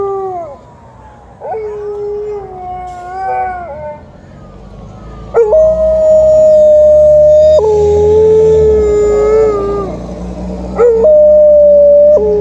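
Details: Female Alaskan Malamute howling in the morning in response to an ambulance siren she cannot see: soft wavering, rising whimpery notes at first, then loud, long, steady howls held for several seconds with short breaks between them.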